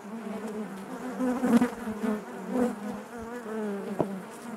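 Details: Buzzing of honey bees within the hive, a warm layered drone with pulsing swells, the loudest passages near the middle and a sharp brief burst near the end.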